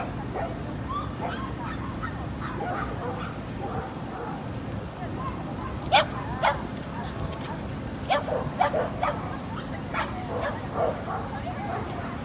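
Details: Female Corgi puppy in Inage, Chiba, on 23 February 2019, letting out irregular high yapping barks, clustered toward the end, over constant low rumbling background noise.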